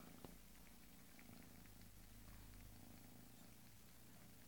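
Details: Quiet, steady low purr from a Bengal kitten, a continuous deep rumble with faint pulsing and a soft tap at the start.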